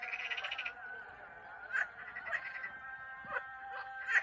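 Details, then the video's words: Frogs in Turkey: a short rapid pulsed rattle opens, then a steady droning hum with sharp croaks breaking through about every half second to second. "Turkish frogs"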